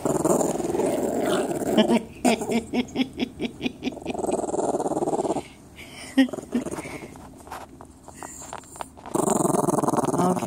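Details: A dog growls in a low rumble, then gives a run of about ten short rhythmic huffing pulses, falls quieter with faint sounds, and ends with another sustained growl.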